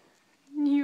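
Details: A sleeping female Shih Tzu, apparently dreaming, gives a brief, high, steady whimper that swells quickly and then fades.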